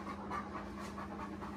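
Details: Irish Wolfhound, one of three males out walking in the Lakes on a rainy holiday, panting in quick, steady breaths at a rhythmic pace, with a low steady hum underneath.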